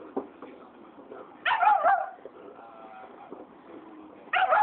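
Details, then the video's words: Black phase wolfdog, mad at a Saint Bernard that took its bone, lets out a loud warbling, whining snarl lasting about half a second, then a quieter stretch with soft murmurs before a second harsh outburst begins. "Black phase wolf hybrid mad at saint bernard"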